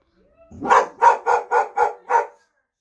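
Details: Boxer dog trying to scare off a delivery van: a run of six loud, hoarse barks, evenly spaced roughly a third of a second apart, opening with a short growl.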